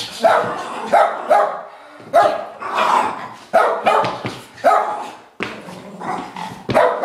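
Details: Two pet dogs, Lucy and Gracie, playing together: a rapid series of sharp, mid-pitched barks and yips in bursts of two or three, with short pauses between volleys.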